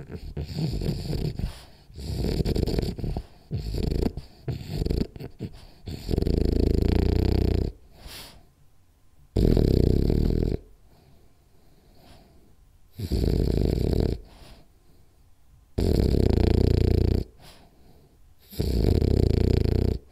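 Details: French Bulldog named Rolly snoring hard while napping: strong, regular rasping snores of about one to one and a half seconds recur roughly every three seconds, after a stretch of choppier, shorter snorting breaths.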